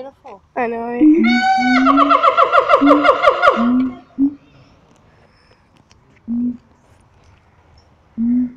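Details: Caged siamangs calling at Taronga Western Plains Zoo. Low throaty booms give way to a fast run of loud, rising, ringing whoops lasting about three seconds. Scattered booms follow.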